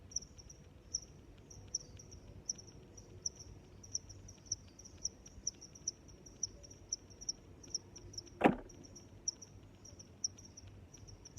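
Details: Cricket chirping as regular high pulses about every three quarters of a second, with a single sharp knock or snap breaking in near the middle; low background rumble throughout.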